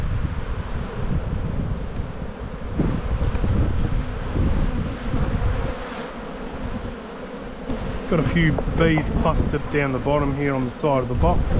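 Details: Spring buildup at a honey bee hive being inspected, 7-9-22: a continuous low hum with rumbling handling noise, and a person talking over the buzzing during the last few seconds.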